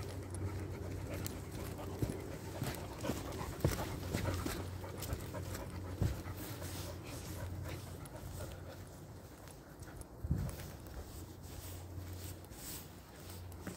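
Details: A 13-year-old yellow Labrador Retriever exploring deep forest pants in uneven bursts, with a few sharp knocks and rustles, over a steady low hum.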